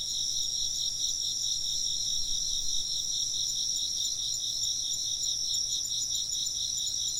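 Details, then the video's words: A thick chorus of insects trills without a break, shrill stacked tones beating in fast regular pulses, over a quiet low-frequency drone. "風鈴の音と虫の声 - wind chimes and chirping insects"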